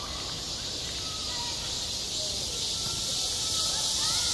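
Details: Summer cicadas over a school playground give an unbroken, high, sizzling buzz that swells slightly toward the end, with soft murmuring voices far in the background.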